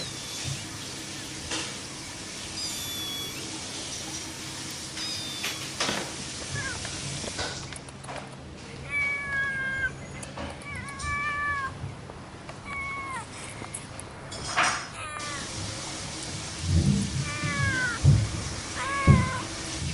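A cat meows repeatedly, short rising-and-falling cries with a few seconds between them.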